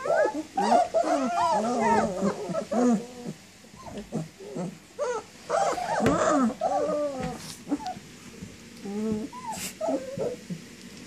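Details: A litter of 19-day-old German Shepherd puppies moving about and whining for their mother, producing quick bursts of high wavering whimpers in tight clusters, tapering to thinner cries near the end.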